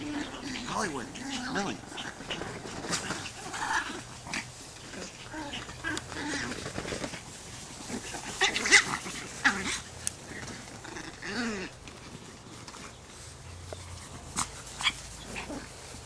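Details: Chihuahuas at a doggy play date give short wavering whines and snorting grunts, loudest near the start and again around eleven seconds, while people talk over them throughout.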